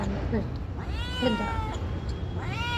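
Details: House cat replying during a chat with a person speaking Telugu: brief speech at the start, then two sliding meows, the second rising sharply at the end, over low background noise.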